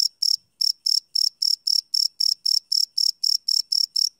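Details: Cricket chirping after dark, recorded live with a Sony PCM D100 field recorder: sharp, shrill pulsed chirps roughly four per second, one brief gap early on, otherwise a steady insect rhythm.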